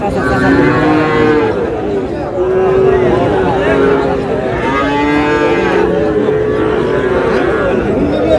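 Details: Sahiwal bull calves at a cattle market in Noakhali, Bangladesh, on 18 June. Several overlapping drawn-out moos, each with a rich harmonic stack, follow one another almost continuously. They dip and rise in pitch, against a steady market crowd hum.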